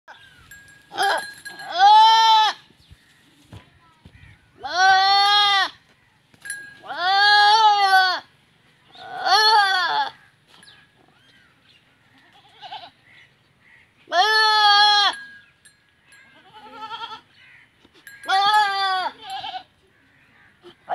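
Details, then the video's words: Goats during mating in a village in Punjab, Pakistan; loud, wavering, nasal bleats in six long bursts about two to three seconds apart, with quiet gaps between. "Goat Mating Video"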